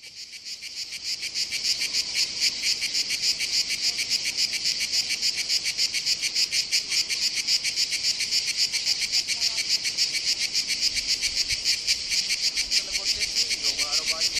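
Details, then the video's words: A cicada on a tree near Nuraghe Serra Orrios, Sardinia, sings a loud, continuous, high-pitched buzz with fast rhythmic pulsing. "Sardinian Cicada Song"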